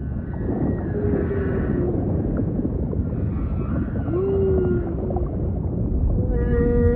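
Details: Humpback whale song: long, low, tonal moans held for about a second each, some gently rising, over a constant deep underwater rumble, with a harmonic-rich upper note entering near the end.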